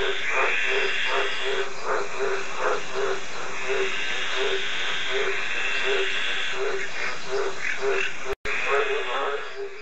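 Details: Green tree frog giving rapid runs of short raspy croaks, several in quick succession, then a looser, fainter series; steady background hiss and a brief dropout near the end.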